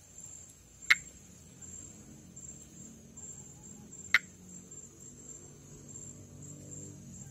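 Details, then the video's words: Pithecopus nordestinus, the Brazilian perereca-macaco tree frog, heard during calling and amplexus: two isolated short clicks roughly three seconds apart, crisp and dry, against a continuous high-pitched insect drone and faint low background noise. "Vocalização e amplexo de Pithecopus nordestinus"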